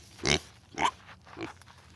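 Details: Domestic pig: three short, harsh grunts spaced about half a second apart, each a broad noisy burst with a slight rise, with quiet background between.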